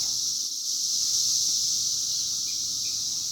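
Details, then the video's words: Cicadas out in their 2021 emergence year, a dense chorus forming a steady, high, unbroken hiss that holds level throughout with no gaps or separate pulses. "The year of Cicadas"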